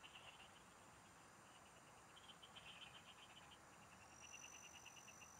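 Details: Frogs call from farm fields at a fishing spot in the province, giving series of rapid, bright pulsed notes from several overlapping callers. A steady noisy background runs throughout, and a high thin tone appears near the end.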